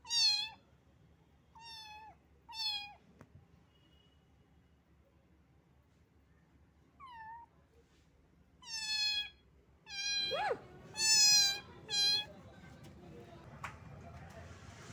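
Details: Little cat caught out in the rain, shivering with cold, gives a run of about ten short, bright meows, some bending down at the end, spaced irregularly and growing louder and closer together toward the end, with rustling noise at the close.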